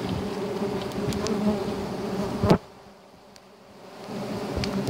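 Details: A dense, droning hum of many giant honey bees (Apis dorsata) during a wild honey hunt, cut by a sharp knock, then building again.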